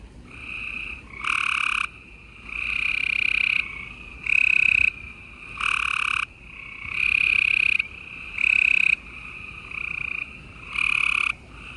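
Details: Gray treefrogs calling at night in Houston, Texas, late April 2020. Loud, rattling pulsed trills of about one second come one after another, roughly every one to one and a half seconds, over a fainter background chorus.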